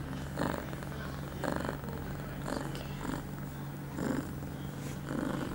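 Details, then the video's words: Pia, an eight-month-old female cat in heat, two hours after her first birth control pill, filmed on 23 September 2011; rhythmic purring swells in bursts about once a second, a steady low hum running beneath them. "Pia on heat."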